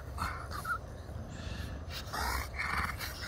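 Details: Two dogs, a French Bulldog and a French Mastiff, playing together indoors: brief high-pitched whines and yelps between breathy panting, over steady low rumbling background noise.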